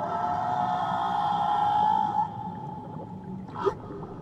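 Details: Whale singing in Tahitian waters, a long sustained mid-pitched moan with stacked harmonics holding steady for two seconds, then fading. A brief upward chirp follows over a soft murmur of water.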